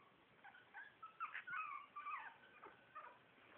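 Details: Shih Tzu litter at four weeks old, puppies whining: a continuous run of high, wavering whimpers and squeaks, pitch sliding up and down, overlapping for about two seconds before trailing off into a few softer cries.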